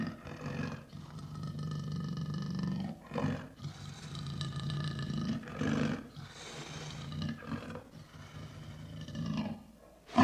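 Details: Lion roaring in a string of deep, throaty, grunting bursts with short gaps between them, low rumbling throughout and a sudden loud burst right at the end.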